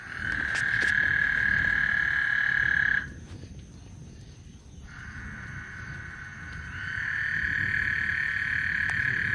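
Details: Chorus of frogs on Lake Houston ahead of a thunderstorm, a continuous shrill trill held for about three seconds, then a two-second lull of low rumbling background before the massed trilling swells back and runs on steadily.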